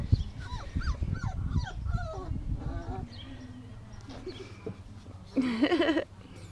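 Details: Five-week-old puppies let out to play, two awake and enjoying their freedom: a run of thin, falling whines in quick succession, then a louder wavering squeal near the end, with soft thuds and a person's voice nearby.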